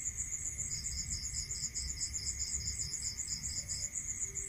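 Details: Crickets at night in a rural area: a continuous, very high, rapidly pulsed trill runs throughout, joined after the first second by a second, slightly lower pulsed trill, over a steady faint whine and a soft low rumble.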